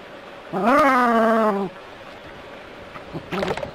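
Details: Jack Russell Terrier playing with water from a hose, giving one drawn-out, growly, harmonic bark lasting about a second, then a short rougher burst near the end over a soft background hiss.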